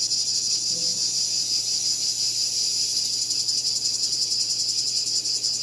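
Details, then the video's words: Cicada call: a dense, steady, high electric buzz that pulses rapidly with a slight wavering beat throughout. The background is otherwise quiet. "Cicada Called || ឪរៃអើយរៃយំ"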